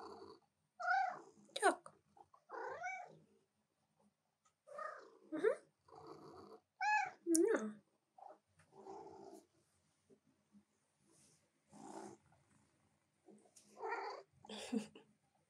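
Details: Female domestic cat interrupting her owner's work at the keyboard; a string of short, bending meows and chirps, some rising then falling, come in bursts every second or two, with a soft woman's voice talking to her in between.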